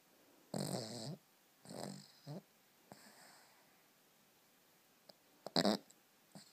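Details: Cavalier King Charles Spaniel Elmo, aged two, snoring in his sleep as he dreams: rough, rattling snores in short bursts, then a pause and a sharp snort near the end.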